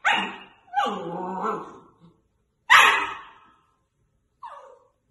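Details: Dog indoors urged to "speak" as its owner sings "If you're happy and you know it"; a bark, then a wavering howl-like whine, another loud bark and a short falling yelp.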